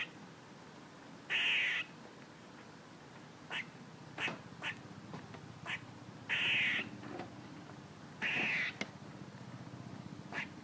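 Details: A squirrel calling: four rasping, buzzy squawks, each roughly half a second, spaced irregularly, with scattered short clicking chucks between them over a quiet hissy background.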